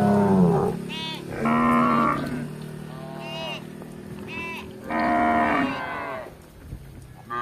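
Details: Village cattle wandering in search of grass, mooing repeatedly: long low bellows mixed with shorter, higher calls from more than one animal, over a steady low hum.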